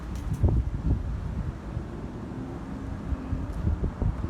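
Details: Low rumbling wind and distant traffic noise with some rustling, and no animal voice.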